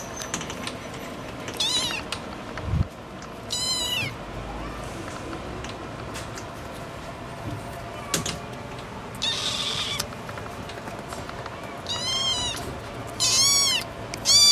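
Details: Scottish Fold cat. A Scottish Fold cat calls with high-pitched, thin meows, each a short wavering note. The mews come in irregular bursts over a low background hum of indoor noise.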